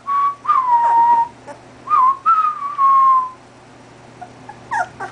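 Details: A male 2½-week-old golden retriever puppy howls in response to whistling, giving thin, sustained howls that waver and slide downward, mixed with the whistling.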